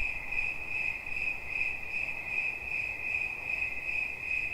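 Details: Brief cricket chirping meant for relaxation: a shrill, high tone in short rhythmic pulses, several per second, fairly loud over a gentle noisy background.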